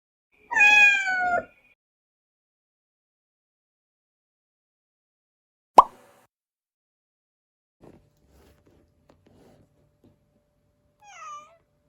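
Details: Rescued pet cat giving one loud, drawn-out meow that slides downward, followed by a sharp click, a few faint taps and a soft, short rising-then-falling meow near the end.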